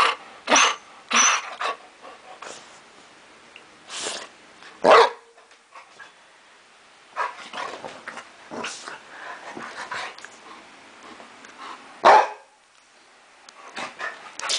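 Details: A happy Chow Chow, jumping about after a walk in the park, gives short, sharp barks in irregular bursts.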